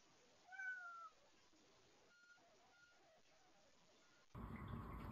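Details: Feral cat outdoors on a one-degree-Fahrenheit winter day while hay is put out for the feral cats and kittens: a single short, falling meow, then two faint brief tones, quiet background, and a sudden burst of rustling noise at the end.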